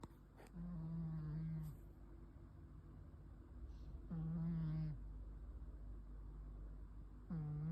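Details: Pet cat snoring while asleep, recorded 9 May 2026; soft, low, droning breaths that come and go about every three to four seconds, each a steady hum lasting around a second, in a quiet room.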